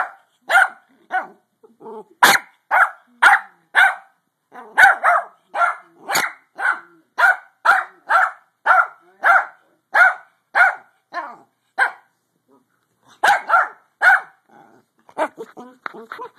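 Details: Trying to sleep, a pug keeps up a long run of short, mid-pitched yaps at a brisk pace, about two per second, pausing briefly before resuming with softer, grumbling barks at the end.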